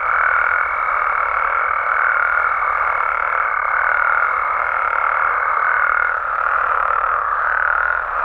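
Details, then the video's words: Frogs and toads from Mexico at night, a thick unbroken chorus of mid-pitched calls overlaid by a steady higher whine that stops after about six seconds while the massed calling carries on. "Mexican Frogs & Toads Sounds"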